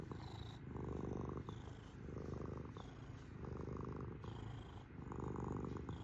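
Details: Domestic cat purring steadily indoors, a low rumbling buzz in long phases, each swelling and easing about every one and a half seconds as the cat breathes in and out.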